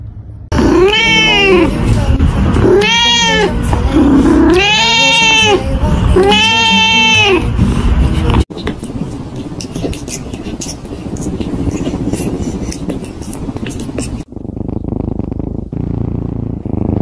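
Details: Pet cat repeating four loud, strained meows about every two seconds, each rising then falling, followed by several seconds of broadband noise without calls.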